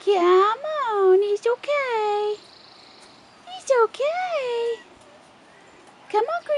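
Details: Loud, tonal whines from Rottweiler puppies aged 4.5 weeks, out of doors for the first time. The cries bend up and then down, come in several drawn-out bouts with pauses between them, and a person speaks softly to them.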